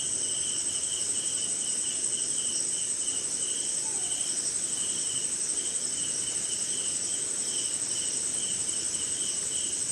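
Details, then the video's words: Crickets chirping on a rainy night somewhere in India, in jungle: a steady shrill high trill runs throughout, with a lower pulsing chirp repeating in quick bursts beneath, over a soft hiss of rain. "Cricket & Swamp! Forest Sound"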